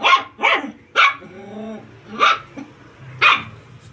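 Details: Puppies at play in close quarters yap repeatedly, three quick high barks, a short low whine-like tone, then two more spaced barks over a faint background hum.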